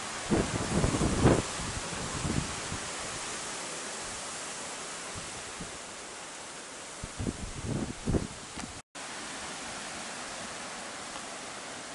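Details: Outdoors during a storm, heavy wind roars and buffets the microphone with gusty bursts, and no animal voice can be picked out.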